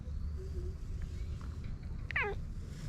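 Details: A stray tuxedo-patterned cat, described as having a cute voice, gives one short meow with a falling pitch near the end. A low steady rumble runs underneath throughout, and faint human speech is nearby.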